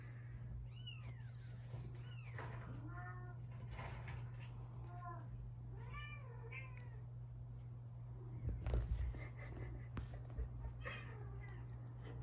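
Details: Two British Shorthair sister kittens, one lilac and one fawn, about 3.5 months old, give repeated high, arching meows one after another over a low steady hum.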